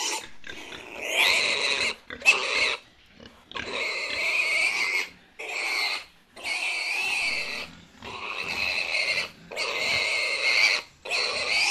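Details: Farm pigs giving loud, shrill squeals in sustained bursts of one to two seconds, separated by brief silences, about seven outbursts in total, harsh and strained throughout.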